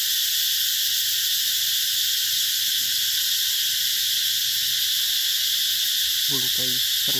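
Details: Cicadas calling in a green summer garden at the Mỹ Luôn eco-tourism site in the Mekong Delta, Vietnam, summer 2021. They make a dense, steady, high shrill drone with no breaks. Near the end come a few brief low pulsed knocks.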